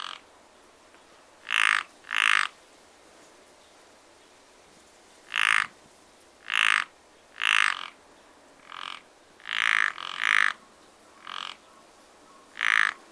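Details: Spring pond frogs give loud rasping croaks, often in pairs about half a second apart, separated by quiet gaps of a second or more, with a faint ambient hush behind.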